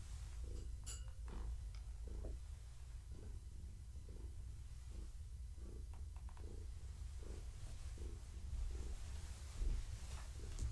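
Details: Petted in the evening, Gaia the pregnant long-haired tabby purrs deeply and continuously, the rumble swelling about once a second with her breaths, while small clicks and rustles of hands on fur cut in.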